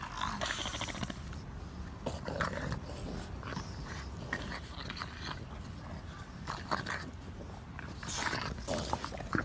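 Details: An English Bulldog growls and snuffles in rough, throaty bursts that come one after another, with raspy breathing between them and light handling noises indoors.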